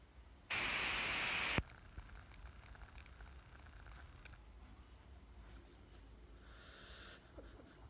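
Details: Frog giving one loud, harsh scream that lasts about a second, broad and steady with a bright ringing tone, then stops abruptly; soft rustling follows, and a brief high hiss comes near the end.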